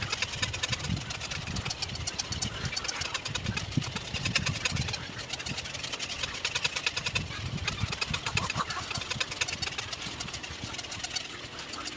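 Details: A steady idling engine rumbles throughout, with a dense mechanical clatter and no clear animal calls.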